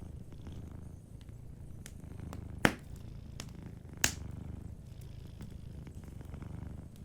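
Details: A sleeping cat's quiet rhythmic purr rumbles steadily; two sharp fireplace snaps stand out midway over faint crackling.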